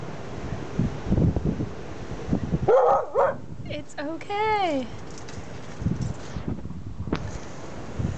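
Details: Female Siberian Husky in her yard, reacting to an odd object, a trash can. Her voice rises into a short yelp, then a drawn-out, wavering, falling woo-like howl lasts about a second. A person speaks softly around it.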